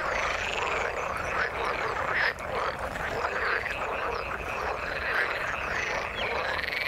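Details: A chorus of frogs in the water: many overlapping croaks merge into a continuous rattling wash, with a few brighter chirps standing out near the middle and end.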